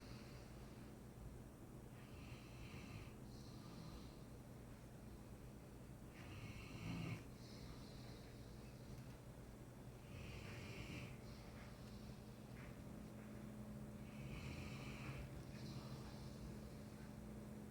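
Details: Sleeping Mastiff snoring indoors: repeated rough, breathy snores with hissy upper bands swelling and fading every few seconds, one louder snort near the middle, over a steady low electrical hum.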